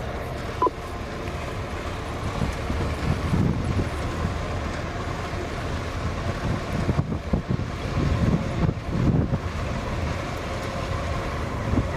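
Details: Steady vehicle engine rumble and wind noise during an evening game drive in the Lowveld of South Africa, with no animal voices.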